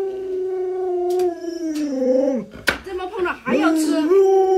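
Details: Alaskan Malamute Luoluo, whose owner lies sick in bed, holds a long level howl that dips near the end, breaks briefly amid a sharp noise, then resumes with a rising, wavering note.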